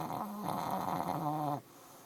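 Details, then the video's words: Shih Tzu with sinus issues snoring, a single long rattling breath with wavering nasal tones lasting about one and a half seconds, then quiet. "the snoring Tzu"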